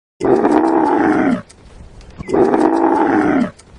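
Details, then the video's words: Camel calling: two loud, harsh, rasping groans, each lasting a little over a second, separated by a short quieter pause with a faint breathy rumble. "Camel sound"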